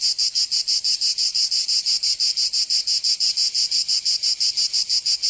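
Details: Cicada song in summer in Provence, southern France, a piercing high buzz chopped into very even, regular pulses close to three each second, clean with no background noise.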